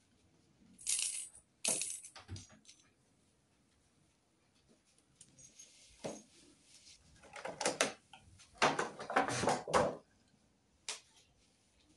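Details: Bursts of rustling, clinking and jangling, like wrappers and small objects being handled indoors, separated by quiet pauses, with no animal voice.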